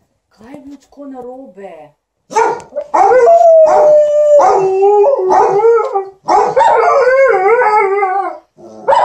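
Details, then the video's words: While their owner irons, Alaskan Malamute Liza and Golden Retriever TJ produce "talk": soft low warbles at first, then loud drawn-out yodelling cries with a steady held tone, ending in overlapping wavering howls. "Alaskan Malamute and Golden Retriever are entertaining their hu-mum"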